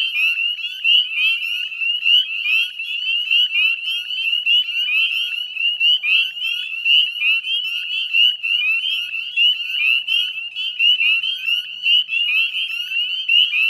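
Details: Many northern spring peepers chorusing at dusk beside the Chezzetcook salt marsh, Nova Scotia, 18 May 2020; a continuous piercing mass of quick rising peeps, uniform in loudness throughout, with no other animals or noise.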